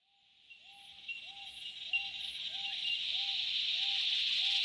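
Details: Cicadas in the Australian bush in summer: a dense, hissing drone swells steadily louder, while a short, clear, lower note repeats about every two-thirds of a second underneath.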